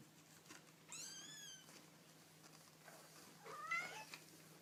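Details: Baby kittens calling: a clear, high, drawn-out mew with stacked harmonics that slowly falls, then after a pause a second, shorter, rising mew, over a low constant hum.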